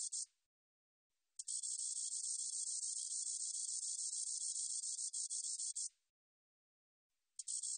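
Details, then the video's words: Spotted meadow katydid: a brief buzzing burst, a one-second pause, then a long steady high hiss lasting about four and a half seconds, followed by the start of another buzz. "점박이쌕쌔기, 여러번 듣기, 곤충소리"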